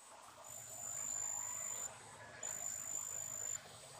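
A big brown katydid gives a shrill, high, sustained buzzing trill in long bursts.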